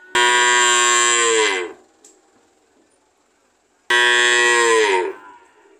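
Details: A cow gives two loud, drawn-out moos, the first lasting about a second and a half and the second about a second, each rich and droning and sagging in pitch at the end, with quiet between.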